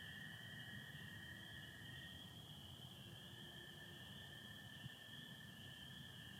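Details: Spring peepers and American toads calling together on a Michigan spring night in 2025; the peepers' high chorus and the toads' lower trill both hold steady, over a faint low background rumble.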